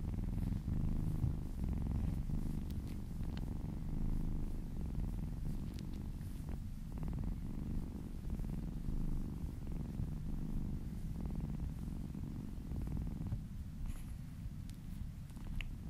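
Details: Contented kitten purring under massage: a long steady low rumble, pulsing slightly, with occasional faint taps and rubbing swishes and a brief quieter stretch toward the end.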